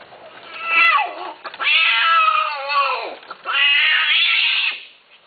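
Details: Cat offered for sale, giving three long, wavering meows, each rising then sliding down in pitch, separated by short pauses.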